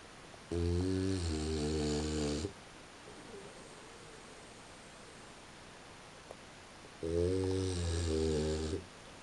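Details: A female French Bulldog sleeping at 3:45 in the morning snores in two deep, buzzing, drawn-out breaths about six seconds apart, each around two seconds long, with quiet room hum between.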